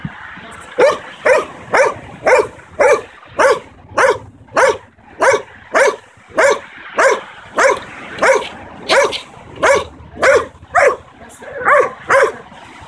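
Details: Young Belgian Malinois, 9 months old, in obedience and protection training, barking on command: a long steady run of about two dozen sharp barks, nearly two per second, with little other sound.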